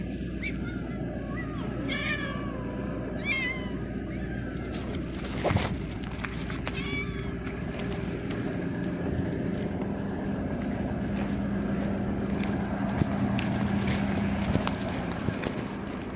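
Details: Yellow pregnant stray cat following someone early in the morning, giving several short rising-falling meows in the first five seconds, then quiet, over steady low traffic rumble and a brief word of Portuguese speech.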